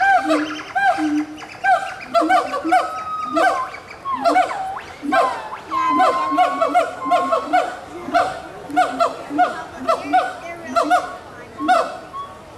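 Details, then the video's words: Gibbons at Animal Kingdom, Walt Disney World, in 2018, calling to each other: overlapping hooting notes that slide up and down, quickening into bursts of rapid rising whoops, with several voices layered into a continuous exchange. "Gibbons Calling to Each Other"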